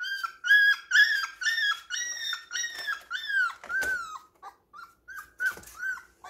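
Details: Puppies at home, leaning on each other yet playing roughly indoors; a run of high whining yelps, about ten in a row, each rising then falling, followed by shorter scattered whimpers with a few rustling thumps.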